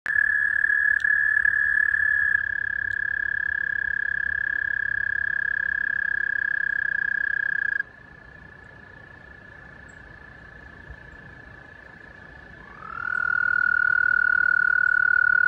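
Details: Many toads chirping in a side stream at White Clay Creek, Newark, Delaware, USA, on April 6, 2020, give a steady, high, buzzing trill that holds one pitch for seconds at a time.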